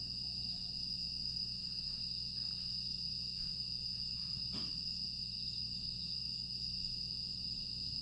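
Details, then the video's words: Aewol, Jeju, on the quiet night of 25 August 2022: grass insects hold a seamless high-pitched buzz throughout, joined by faint ticks and one sharp click midway, with a low background hum. "조용한 풍경과 풀벌레 소리"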